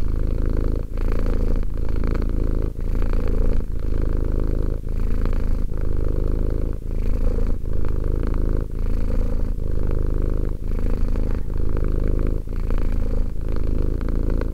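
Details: Deep, close purring of a two-year-old pet cat, a rolling low vibration pulsing in breath cycles about once a second, with tiny breaks between them and no other sounds.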